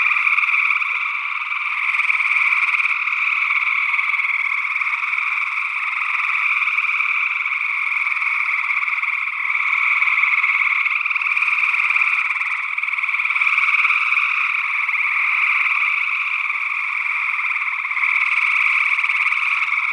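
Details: Early June 2022 night chorus of gray tree frogs in Northwest Wisconsin, stereo ORTF condenser recording. Overlapping pulsed trills swell and ebb every few seconds in a continuous wall of sound, possibly joined by a second frog species.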